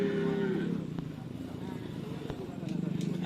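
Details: Madura cattle at karapan sapi bull-racing training on a field at Asemanis, with a newly arrived bull from Java; one low, droning moo lasting under a second, then a shorter moo near the end, over crowd chatter and background noise.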